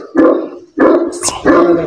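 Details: Bully Kutta dog in Pakistan during a fight match, giving three loud, harsh barks spaced about half a second apart.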